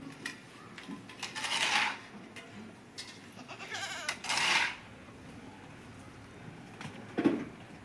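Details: Goat eating green fodder, giving two loud, harsh, wavering bleats about three seconds apart, with faint clinking and rustling between them.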